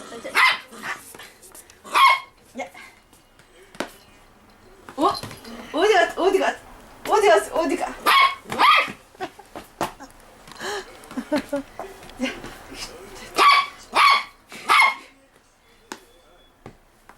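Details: Toy poodle Da-Ji barking during play indoors, sharp bright yaps arriving singly and in quick pairs through the clip, mixed with a woman's excited Korean speech and laughter between the barks.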